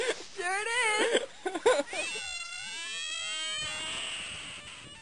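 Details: A frog squealing: wavering, high, harmonic cries in short bursts during the first two seconds, then one long, steady, drawn-out squeal that slowly fades to the end.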